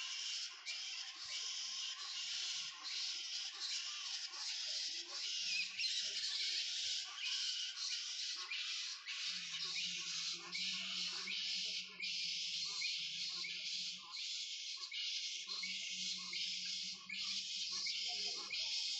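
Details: Squeaky, twittering calls of hundreds of bats roosting in trees at a sanctuary in the morning. A steady, shrill mass of rapid chirps, pulsing in short bursts, with a faint low hum in the background.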